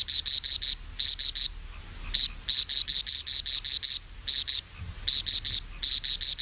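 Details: Frog song played during a lecture on amphibians, from the third and fourth species of a group, said to be easily mistaken for an insect: high, buzzy pulsed notes in quick trains of three to five, separated by short pauses.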